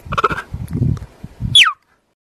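A cheetah gives a sharp, high, bird-like chirp that slides steeply downward after some low rumbling sounds.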